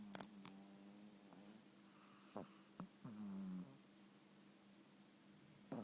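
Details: Pokke, a sleeping pet Shih Tzu, snoring at home: a steady low drone with short snorting breaths, one longer rasping snore in the middle, and a few faint clicks.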